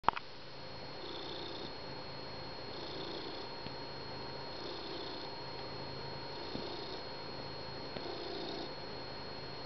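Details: Finnegan, a pet cat, purrs in a small room during morning coffee on the couch, content with his blanket and his people; a steady low rumble pulses in long breaths roughly every two seconds, with a faint constant electrical hum above.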